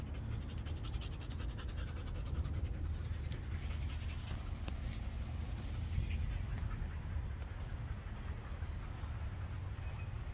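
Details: Female Belgian Malinois panting during basic obedience training: steady, rapid breathy panting that holds through the clip, with a faint rhythmic pulse early on.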